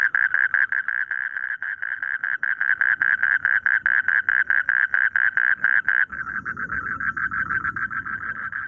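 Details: Rice-field frogs croaking in quick repeated pulses, about two per second, loud and even for six seconds, then softer and blurred as a low background noise rises.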